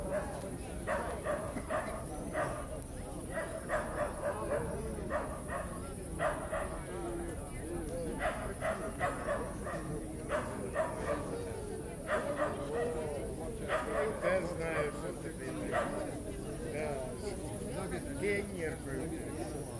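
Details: Evening ambience at Starokyivska Hill in Kyiv, a crowded park: a dog gives a series of short, repeated barks in bursts over many seconds, half buried under continuous crowd chatter, with crickets droning high in the background.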